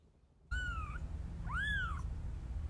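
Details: Mother cat rescuing her kittens by carrying them in her mouth. After a brief silence come two clear meows. The first is level and slightly falling; the second rises, then curves down, with a steady low hum underneath.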